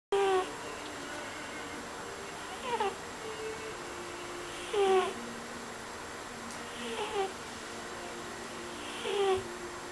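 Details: Cat asleep and dreaming, making funny noises: soft, squeaky little falling whimpers and chirps recurring every two seconds or so, over steady indoor hiss.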